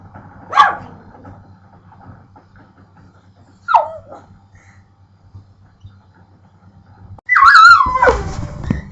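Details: Pit bull making weird noises at a pet bird: two short sliding whines a few seconds apart, then a loud, long, wavering, yodel-like whine near the end, with a steady low hum throughout.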